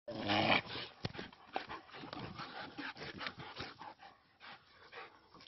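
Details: Czechoslovakian Wolfdog giving a short, loud, harmonic vocal burst near the start, then quieter scattered rustles and faint low noises indoors.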